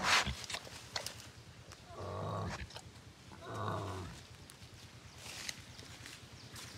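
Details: Young wild boar calling with two drawn-out, nasal, harmonic squeals about a second apart, against a constant low droning hum and faint clicks.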